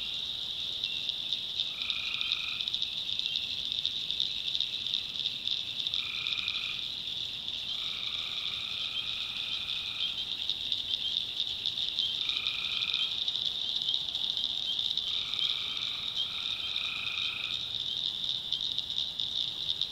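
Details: Tree frogs calling at night in the backwoods of North Carolina: short nasal honking notes, some drawn out to about two seconds, come in irregular bursts every few seconds over a constant shrill high-pitched drone.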